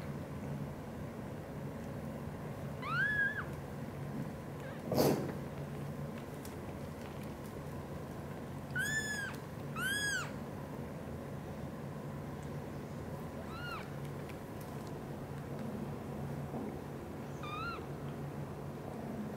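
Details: Mother British Shorthair cat, blue golden, indoors gently caring for three kittens; several high, rising-then-falling mews near 3, 9, 10, 13.5 and 17.5 seconds over a steady low hum.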